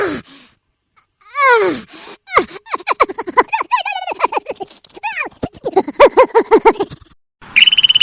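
A squirrel gives rapid bursts of squealing, downward-sliding chirps, several per second, with brief pauses between runs.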